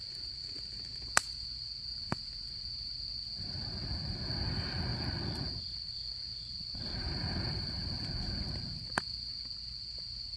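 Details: Autumn insects at a campfire during camping season: one steady, unbroken high-pitched trill runs the whole time, with sharp crackling pops from the fire and two long, low rushing swells of flame or wind noise in the middle.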